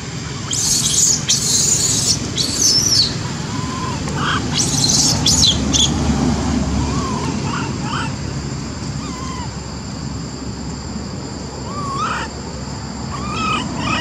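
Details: Little baby monkeys near a tree while Lori, who cannot use her legs, calls Amari for help; harsh high screeching bursts early on, followed by scattered short tonal coos over a constant low rumble.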